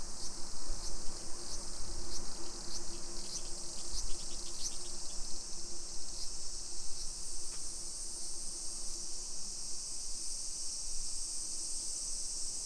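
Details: Shrill continuous buzzing of summer cicadas in a modern neighbourhood of Nisshin, Aichi, Japan, 1 PM on 28 July 2021, with a run of quick clicks early on and low background rumble.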